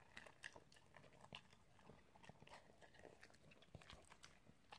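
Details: Italian Greyhound eating, heard as quiet, irregular crunches and bite clicks spread through the clip, with faint background hiss between the bites.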